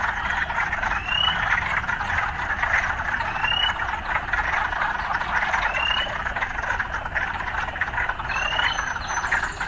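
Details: An urban frog chorus mixed with sounds of city life. Thick, continuous croaking fills the whole stretch, and brief upward-sliding whistled calls come roughly every two seconds over a soft background hum.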